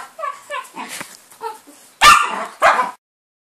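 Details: Four-year-old pet dogs, a miniature Jack Russell and a Jack Russell–Chihuahua cross, tearing into Christmas presents at home on 25 December 2012; a handful of quick high yips followed by two loud bursts of paper ripping, then silence.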